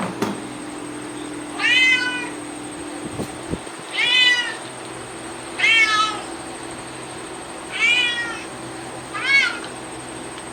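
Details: Cat meowing indoors, five drawn-out harmonic meows spaced about two seconds apart, each rising then falling, over a steady electrical hum.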